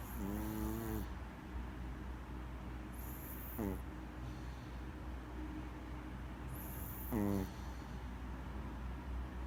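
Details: Snores from a Maltese dog fast asleep, three vibrating, nasal inhalations spaced about three and a half seconds apart, alternating with faint whooshing exhales against a low room hum.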